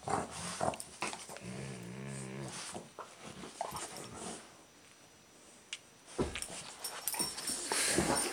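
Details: Twin six-year-old golden retrievers Shim and Shake playing tug of war with an old sock; a low, harmonic growl of about a second rumbles midway through, surrounded by scuffling, thumps and rustling.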